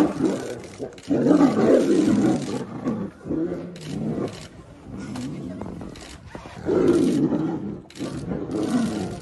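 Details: Two male tigers fighting, one roaring in heavy, gravelly bursts that come in uneven waves with short gaps between outbursts.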